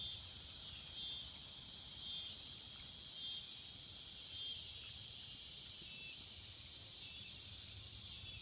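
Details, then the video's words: Swamp cicadas give a steady shrill buzz with a faint thin whistle-like tone repeating about once a second within the drone, over soft low rumble. "Tranquility and the sounds of cicada in the swamps"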